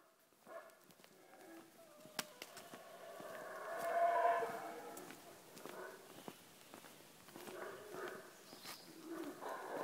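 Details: During a morning walk in Tikal National Park, Guatemala, Guatemalan black howler monkeys give deep, rough, drawn-out roars that swell and fade.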